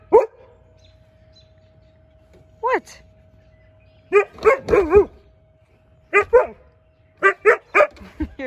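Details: Juno, a Siberian Husky, reacts to a leaf blower with bursts of wavering, howl-like woo calls. Short single yowls are followed by clusters of bending, sliding notes, with a steady faint hum underneath.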